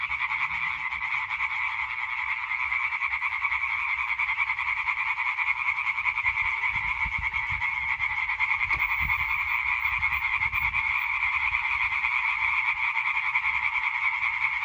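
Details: European tree frog singing concert from 20 May 2023: a sustained, dense chorus of rapid nasal croaks from numerous frogs, unchanging over fifteen seconds, with a few soft low thumps partway through.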